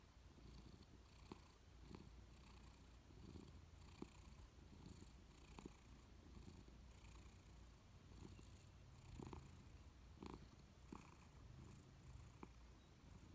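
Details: Louis, a Persian cat, dozing on a warm sofa, purrs as a low, steady rumble that swells and eases with each breath. Faint clicks sound now and then in a quiet indoor room.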